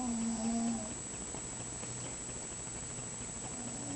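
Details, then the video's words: Scharlett, a pet mouse, snoring while asleep: one drawn-out, whistly low hum with faint overtones near the start, then quiet, steady room hiss, with a softer snore just beginning at the end. "Snoring mouse"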